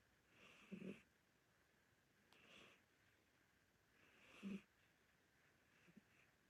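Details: Sleeping domestic cat, an older Korean Shorthair, snoring: two clearer rasping breaths and a couple of fainter ones over six seconds, uneven spacing, otherwise quiet indoors.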